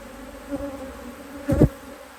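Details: Honey bees humming steadily at an opened HiveIQ beehive in Australia, late in the season of 2023, as an extra box is added. Two sharp thumps break the even drone, the second louder.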